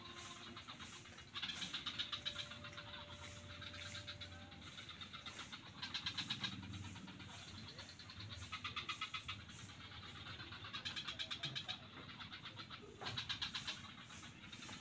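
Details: Frogs in a swamp at Kuta beach, Bali, call in bursts of rapid, rattling pulses, several voices overlapping over a low background rumble.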